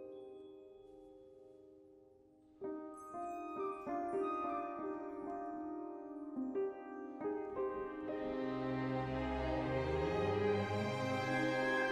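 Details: Soft mallet-percussion music opens quietly, then chiming glockenspiel-like notes strike in steps and swell into a fuller, shimmering wash with low tones, with no animal voice present.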